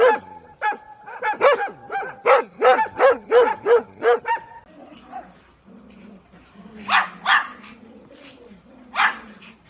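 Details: Dog barks of several kinds: a rapid, steady string of about twelve tonal barks over four seconds, then a quieter stretch with soft whining and three harsh, louder barks spaced apart near the end.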